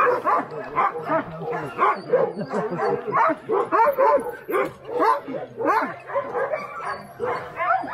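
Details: Many Alaskan Huskies, working sled dogs at Snowhook Adventures in Willow, Alaska, in an excited chorus of overlapping barks, yips and howling whines that rise and fall continuously, with people's voices faint in the mix.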